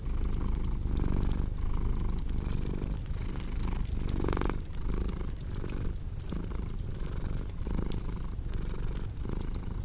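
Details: Rhythmic cat purr, a deep buzzing rumble repeating with each inhale and exhale, accompanied by scattered crackling of burning logs.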